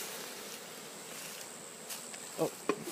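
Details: Honey bees in a full hive during inspection of the honey super, the colony having just started building on top; a steady low droning hum under a broad hiss, with two brief clicks near the end.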